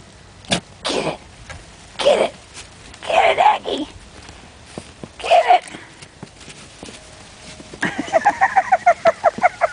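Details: Aggie, a Yorkshire Terrier puppy, plays in the snow with a person urging her on. Laughter and excited speech come first, then a quick run of high, sharp yaps near the end.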